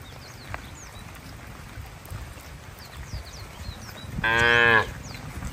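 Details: Cattle herded toward the farm barn in rainy-season weather; mostly low rumbling background with bird chirps, then a single short, bright moo of about half a second.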